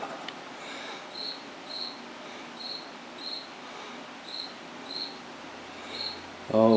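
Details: Chirping cricket inside a washroom, repeating short high chirps roughly every half second to second, nine or so in a row, with room hum throughout and a brief burst of human voice at the very end.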